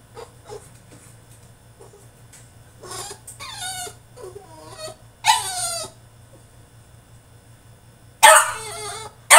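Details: French Bulldog in his cage during a tantrum: soft whimpers and small grunts at first, then a few louder, quavering whining yelps spaced several seconds apart, with a low hum throughout.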